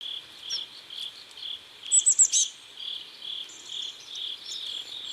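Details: Crickets chirping at sunset by a river in South Korea: steady pulsed chirps repeated about twice a second, with a brief burst of high thin bird-like notes near the middle.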